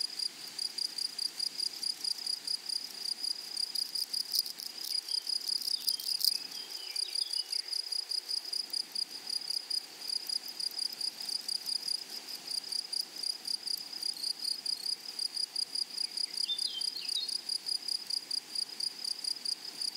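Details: Grasshoppers in a flowery meadow, a steady high shrill buzz pulsing rapidly and evenly throughout, with a fainter overtone above; brief faint chirping notes from other small callers around the middle and near the end.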